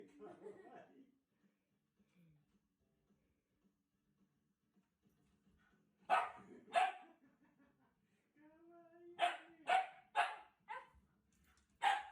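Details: Shiba Inu barking at Mario indoors: a soft low whimpering opening, a long pause, then two sharp barks near six seconds, a rising whine, and a quick run of four barks with one more at the end.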